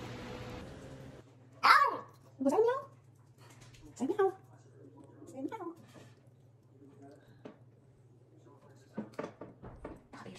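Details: Indoor pet Basenji giving its meow-like call, which it uses as a morning greeting mixed with a yawn: three drawn-out, bending, yowling notes in quick succession, followed by quiet shuffling, clicks and a woman's soft voice.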